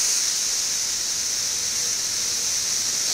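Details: Massed chorus of Brood XIV 17-year periodical cicadas in Frankfort, central Kentucky, June 2008, about two weeks after mass emergence and quieter than its peak: a steady, unbroken high hiss-like drone holding level throughout.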